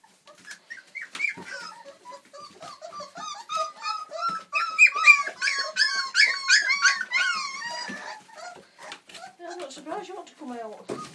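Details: Old English Sheepdog puppies, four weeks old, Millie's litter, indoors: a rising clamour of rapid high squeals and whines, peaking midway in dense overlapping cries, then thinning to scattered lower whimpers.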